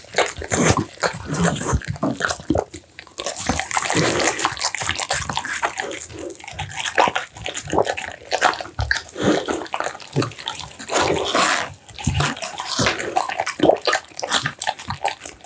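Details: An American Bully working through a bowl of steamed pumpkin, minced duck, tofu and dried mixed vegetables; steady run of moist chomping, licking and slurping, a short lull near three seconds, then continuous sloppy eating.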